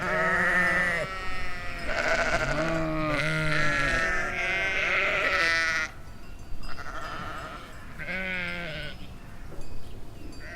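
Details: Flock of domestic sheep in a field in the Chiltern Hills, summer 2025; a run of overlapping tremulous baas, low and high voices mixed, crowding together in the first half then two shorter bleats after a pause.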